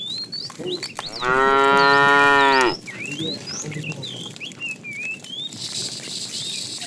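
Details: ['Tame cows roam a road in search of food; one lets out a sustained, even moo of about one and a half seconds, surrounded by constant chirping and tweeting from small birds.']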